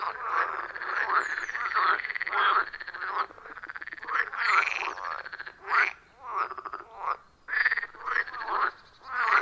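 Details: Rhythmic chorus of wild frogs around a forest pond, recorded on a phone with external microphone; dense rasping croaks at first, then separate harsh bursts spaced about every half second to second, many callers overlapping.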